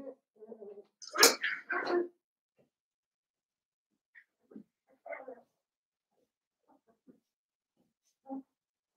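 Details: Blenheim Cavalier King Charles Spaniel puppies, seven weeks old, in an indoor puppy pen; a short burst of sharp, harsh yelps around the second mark, then scattered soft whimpers and single squeaks in a quiet room.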